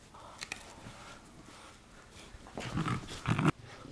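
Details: Miniature Schnauzer Mandoo during an indoor tug-of-war game: quiet room tone for the first half, then a low, rough growl rises in two loud surges before stopping abruptly, with a faint human voice nearby.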